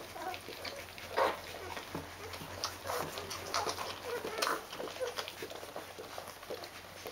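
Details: Fourteen-day-old Rhodesian Ridgeback puppies from the D-litter, tended by their mom, give brief high whimpering squeaks at scattered moments over a steady background of scratching, patter and movement noises.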